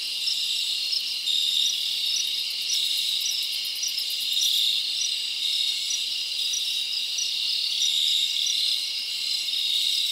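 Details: A chorus of crickets at night in a summer forest: an unbroken, ringing high-pitched chirping. A fast, very high ticking pulse series sounds over it during the first few seconds.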